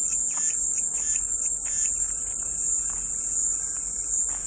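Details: Unbroken high cicada drone carrying steadily across the clip, with faint, brief chirping notes from other animals underneath.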